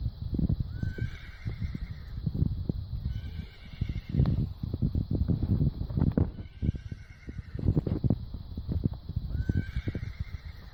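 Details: Horse grazing on grass, low crunching chewing and tearing sounds throughout, with four faint, thin, high neighing calls, each a short rise then a level, stacked tone, spaced about three seconds apart.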